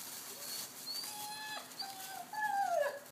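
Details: Aussie and Basset mix puppies, one Aussie with four Basset mixes, playing together while awaiting adoption; thin high whines slide downward near the end, with earlier faint squeaks, rustling and a person's soft encouraging voice.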